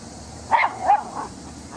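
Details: Max, a dog playing with his favorite toy, a rock, gives three short barks in quick succession, the first loudest, each a brief harmonic burst spaced about a third of a second apart over a quiet background.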